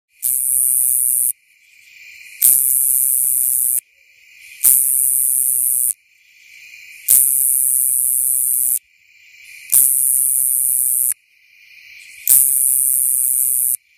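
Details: Nebraska coneheads (Neoconocephalus nebrascensis) calling shortly after sunset, 28 Aug 2015, Coles Co., Illinois: loud, hissing buzzes about a second long, separated by short regular pauses. This is a courtship song to attract a mate.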